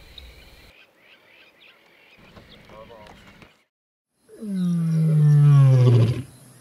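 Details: One of two Ndzhenga male lions, heard roaring near camp at sunrise while tracking the Kambula Pride's scent, gives one deep, drawn-out roar swelling and sliding lower over about two seconds, after a man speaks briefly.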